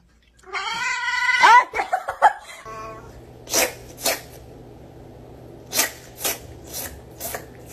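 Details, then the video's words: Angry domestic cats: a strained, harmonic-rich yowl rising and wavering over about two seconds, then sharp bursts of clatter and thumps against a low steady hum and light background music. "angry cats"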